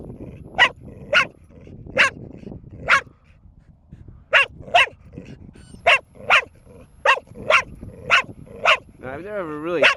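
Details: Four-year-old female dog in a prolonged nonstop barking bout, sharp barks in pairs and short runs with a pause midway, a man talking in the background, a warbling whine-like tone at the end.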